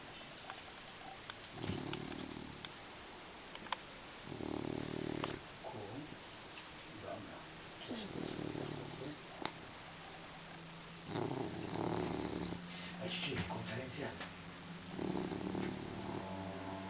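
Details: Dog sound asleep, snoring like a rock: a series of harsh, buzzing snores roughly every three to four seconds, some longer and rougher, with soft murmuring voices and light rustling in the quiet gaps.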